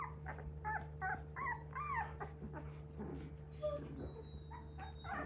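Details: Young Border Collie pups, three weeks old, giving a continuous run of wavering, tonal whines and squeals that bend up and down in pitch, with brief grumbling undertones, over constant low electrical hum.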